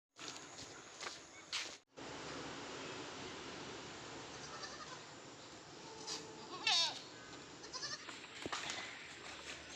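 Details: Goat at a farm where a local doe is bred naturally with an improved-breed buck; one short, wavering, nasal bleat in the middle, set against steady broadband hiss and a few clicks and knocks.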